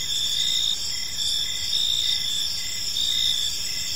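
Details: Gentle evening chirping of crickets in a park, a bright continuous high trill with faint pulsing and a quiet low rumble underneath.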